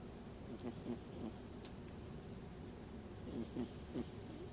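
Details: Sleeping domestic cat snoring shortly before waking: soft, low rasping breaths in two short clusters, around one second in and again near three and a half seconds, under a steady faint room hiss.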